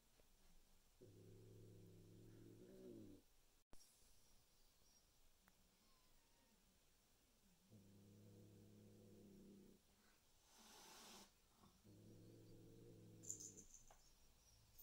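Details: Domestic cats indoors as new Bengal kittens meet resident adult cats: three long, low, drawn-out growls of about two seconds each, evenly spaced, with a sharp click and a brief hiss-like rush of noise between them.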